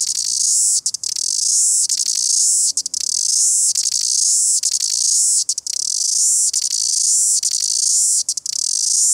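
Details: Cicada from New Zealand producing an intense, high, hissing buzz, strong and unbroken except for quick crackling gaps roughly every second, the rhythm holding steady across the whole recording.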